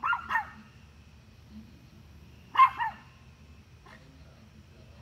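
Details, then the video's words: Dog barking at deer with double barks separated by long gaps of about two and a half seconds, a faint tap between, and another bark starting at the very end. "Dog barking at deer"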